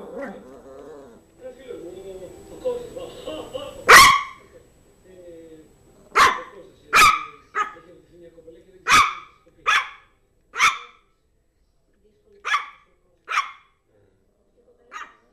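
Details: Yorkshire terrier named Zizel playing with her new mouse toy; sharp high barks repeated irregularly, about ten over the clip, after an opening stretch of quieter mixed sounds.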